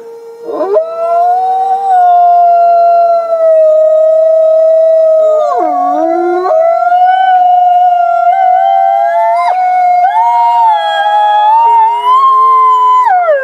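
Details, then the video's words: Captive gray wolves at the Wolf Conservation Center in South Salem, New York, howling together: several long, smooth, sustained tones overlapping, with slides and shifts in pitch, some voices higher and bending down near the end. "Forty-two Wolves Howling"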